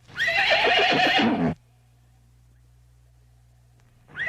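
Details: Horse neighing in a pasture: one loud, harsh whinny with a shaking, stuttering end lasting about a second and a half, then near silence before another neigh begins.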